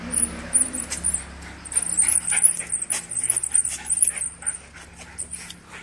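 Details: Two Schnauzers playing with a ball give quick, sharp barks and yips, with high thin squeaks running over them.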